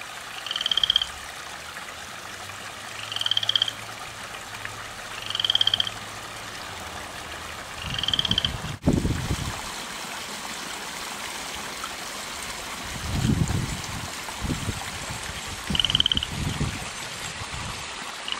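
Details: Garden frog recorded at 10:30 at night, croaking nonstop: pulsed trills repeated every two to three seconds, then a pause and a thump, later bursts of low rumbling and one more trill.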